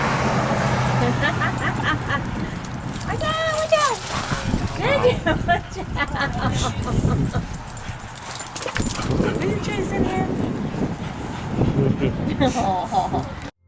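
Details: Basenjis Zinga and Zulu in a playful wrestling match; high, rising yelping whines with stacked overtones around the fourth second, then scattered short yips, while human speech runs throughout.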